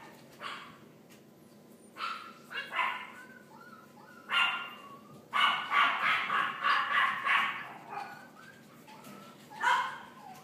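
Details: Boston Terrier puppies born on 3 May, yipping and barking in irregular bursts: a few single yaps, then a quick run of high barks in the middle, and a final yap.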